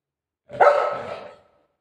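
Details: Playful Golden Retriever giving a single loud bark that trails off into a drawn-out, whining tail lasting about a second, in a quiet indoor setting.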